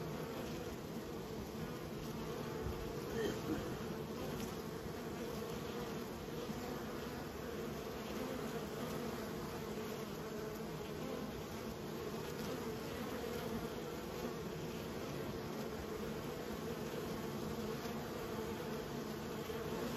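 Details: Honey bees kept by a beekeeper produce a steady, unbroken low buzz across twenty seconds, with even droning hum bands and no pauses, rises or other clear sounds.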